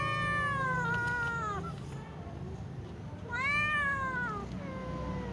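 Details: A little cat meowing before eating with other cats: two long, clear meows, the first around a second and a half, the second starting near three seconds and rising then falling, with a quiet low hum beneath.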